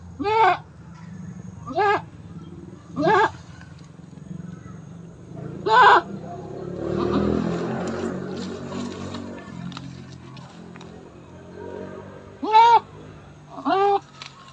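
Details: Goat bleating during its fifth birth; short nasal bleats repeat about every one to two seconds, broken by a stretch of rustling and murmuring noise, then two more bleats near the end.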